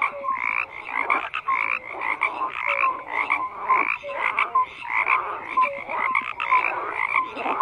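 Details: Many frogs croaking together, rhythmic pulsed bursts about twice a second layered with short rising chirps, a loud continuous chorus.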